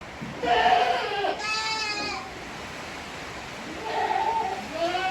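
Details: Eighteen-day-old Tokara goat kids with their mother on a farm in Himi, Japan, 29 April 2022: a short, quavering bleat with wavering overtones in mid-clip, with softer voiced sounds before and after.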